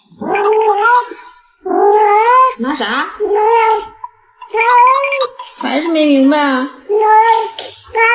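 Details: Pet cat meowing repeatedly in long, nasal, slightly rising cries separated by brief gaps, several in quick succession, with talking blended into the sound in a small room.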